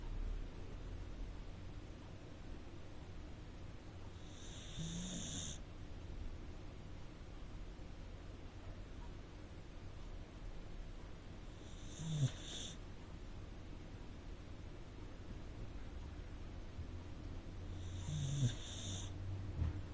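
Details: Rescued Corgi asleep in the living room, snoring softly: three breathy, hissing snores spaced about six to seven seconds apart over a low, steady room hum.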